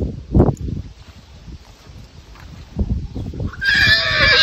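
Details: Young two-year-old Karachay stallion being trained on a farm in the Karachay district; thumping hoof steps, then a loud, shaky, harmonic whinny rising in the last second.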